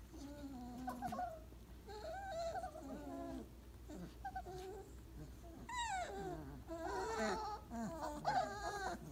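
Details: Weimaraner puppies at 28 days, settling in a pile after breakfast, whimper and yelp irregularly, with quick rising-and-falling squeals and several pups crying over one another.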